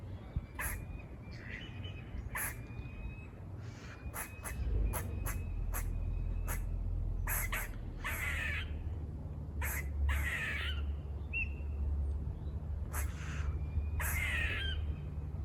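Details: Rapid series of buzzy squirrel barks near a farm: short sharp bursts, some clustered quickly together and others in longer rasping calls, with faint whistled notes and a heavy low rumble of wind or traffic.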